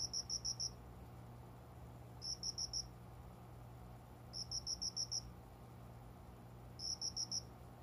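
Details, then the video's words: Cricket singing at daybreak, shortly after 5 a.m., beside a window with small plants in summer; bright high trills of four to five quick pulses every two to two and a half seconds, a soft low drone behind. "虫の鳴き声 この虫の声は鈴虫のかな？コオロギ？"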